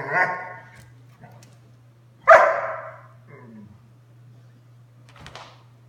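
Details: Small Doberman Sunday at play with her Mastiff mix sister indoors; two sharp barks, one at the start and a louder one midway, followed by softer scuffling noises over a constant low hum.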